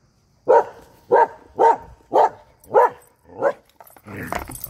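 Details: Norwegian Elkhound at play with a frisbee, barking six times in a steady run roughly every half second, each bark abrupt and harsh, then a brief patch of rustling and handling noise at the end.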